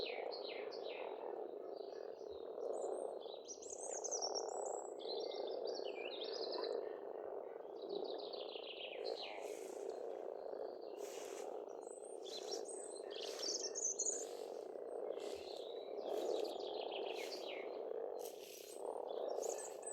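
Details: Frogs calling together at a pond in springtime Estonia, an unbroken low throbbing chorus of croaks, accompanied by lively birdsong of repeated chirps and rising notes across the whole recording.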